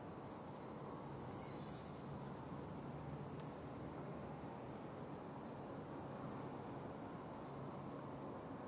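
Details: Wild nomadic smooth-coated otters in Singapore, a family with pups, 9.05 am on 6 July 2024: a run of high, downward-sliding squeaky chirps, spaced irregularly, against a constant wash of low environmental noise.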